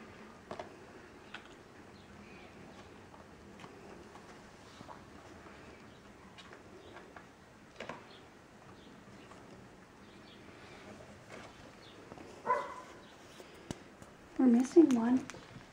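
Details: Kittens indoors, quiet for most of the stretch with soft tapping and patter, then a short mew near twelve seconds and a louder burst of two or three wavering mews right at the end.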